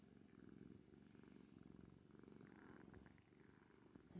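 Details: Orange tabby Kuri purrs in a soft, pulsing drone that fades slightly toward the end before a sudden knock.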